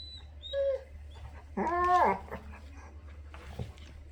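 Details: Pit bull tucked beneath a sheet makes a brief high whimper, then a louder, longer wavering whine, followed by soft rustling and a low indoor hum.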